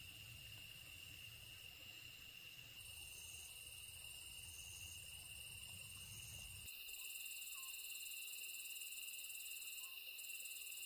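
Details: A chorus of singing grass insects: steady high-pitched trilling with several shrill layers that start and stop. A low rumble fills the first two-thirds and then drops away, leaving the insects clear.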